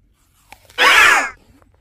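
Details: Household cat from a family of five cats named Harry, Carry, Mong, Tammy and Nuri, giving a single half-second meow, a bright arched tone with rich overtones, with faint clicks before it in a quiet room.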